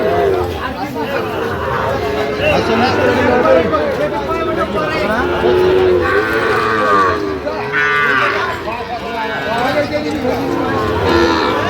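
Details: Sahiwal bull calves at a cattle market in Sylhet, Bangladesh, on 8 October 2025, where a farmer is buying. Several harmonic, wavering moos overlap among steady crowd chatter and bargaining voices.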